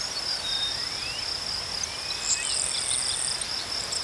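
Crickets trill in a steady, high-pitched chorus, with a second shriller voice joining briefly.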